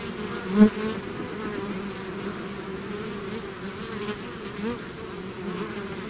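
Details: Honeybee swarm buzzing after leaving its hive: a steady, dense drone with a strong low hum and a second band above it, swelling slightly. A brief louder burst comes just before the one-second mark.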